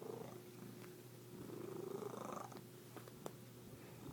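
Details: Odd purring from a kitty: a low, pulsing rumble with a faint rising tonal edge that swells midway and then settles, plus a few light taps.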